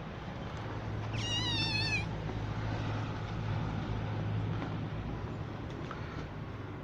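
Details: Kittens of rescued street mother cats, raised in a cat house and receiving eye drops, one caught under a car; a single high, wavering meow with rich harmonics lasting about a second over a steady low hum.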